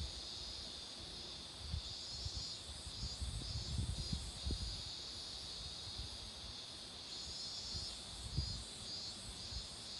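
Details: Cicadas droning by a roadside lined with blooming marigolds; a bright, shimmering high buzz swells slightly in waves, with gentle low-pitched rumbles and rustling beneath.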